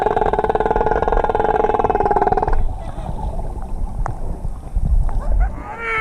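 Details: Humpback whales recorded during a swim with them in the Kingdom of Tonga in 2017: a pulsed, buzzing, harmonic moan for over two seconds, then clicks, splashes and water noise.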